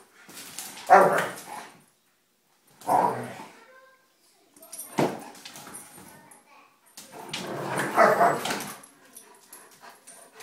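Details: Three German Shepherds teasing each other in a playful spat; four bursts of rough growling and snarling mixed with yelps, separated by short silences, with a person speaking to the dogs.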